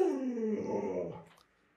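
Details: Pet Alaskan Malamute giving a short howl, a tonal cry that starts higher, drops and wavers for about a second before trailing off into quiet.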